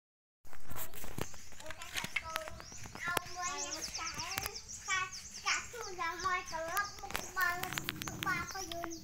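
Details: Puppies with their mother dog give high, thin whimpering whines, many short rising and falling cries overlapping in quick succession, with occasional sharp clicks and a low rumble of background noise.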